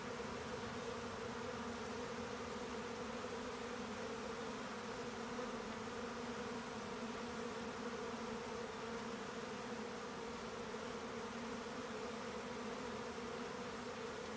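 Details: A honeybee swarm during colony division gives a constant, massed buzz: deep humming tones stacked in bands beneath a wash of hiss, unchanging and without breaks across the span.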